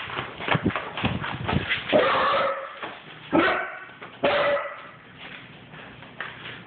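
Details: Basset hound puppy barking while running: a quick burst of short, rough yaps, then two longer, drawn-out harmonic bays with pauses between them.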